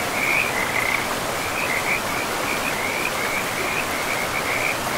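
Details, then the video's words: Frogs by a river in a moss-covered forest give a fast, rattling string of high pulsed notes in short uneven bursts, heard against the constant hiss of running water. "River and Frogs sleep sounds"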